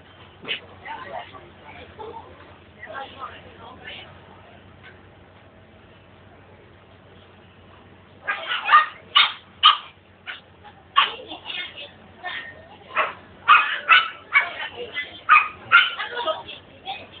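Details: Rottweiler puppy in a cage at a pet shop in Cheras, described as very active; bursts of short, sharp yips and barks come in quick irregular runs after a quieter stretch with faint murmuring.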